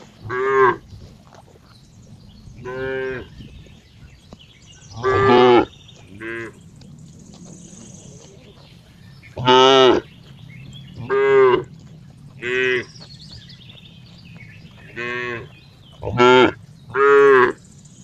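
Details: Cow mooing repeatedly, about ten short harmonic moos spaced one to three seconds apart over eighteen seconds, some louder and some softer, with a low steady background hum between calls.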